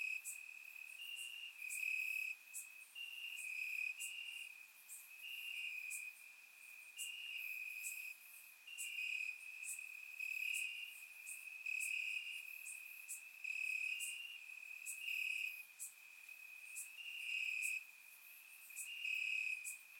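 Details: Warm summer night in Bulgaria, crickets chirping in the grass: dense overlapping high trills with rhythmic chirp bursts about every second, a steady insect chorus recorded in surround sound.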